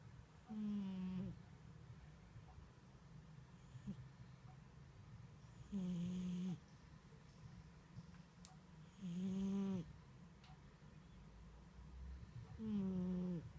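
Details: Sleeping cat snoring indoors: four loud nasal rasps with a low tone carrying stacked harmonics, spaced roughly every four seconds, with quiet breathing between them.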